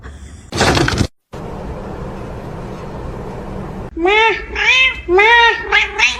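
A kitten gives a quick run of high, thin meows, each one rising and then falling.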